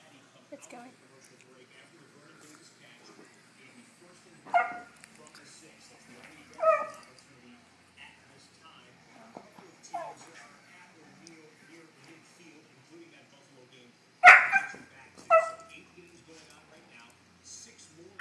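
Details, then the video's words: Husky reacting to a foot massager it takes for a cat, giving scattered loud rising whines and yips, about five across the stretch, with quiet speech and a low motor hum between. "Husky vs. Foot Massager"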